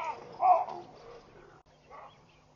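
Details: Alarmed baboons scatter from the beach at Pete's Pond, Mashatu Game Reserve, Botswana, on Sunday 16 June 2013. One loud, rough bark stands out, followed by a fainter call, over a constant low hum.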